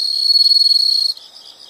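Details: Insects in a nature sound recording: a loud, steady high-pitched trill that cuts off after about a second, leaving fainter pulsed chirping from other insects behind.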